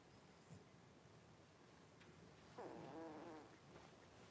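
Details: Five Blenheim Cavalier King Charles Spaniel puppies, born New Year's, share a home pen with mother Paris on 26 January 2023; one thin whine starts high and slides downward, wavering for under a second, amid faint shuffling.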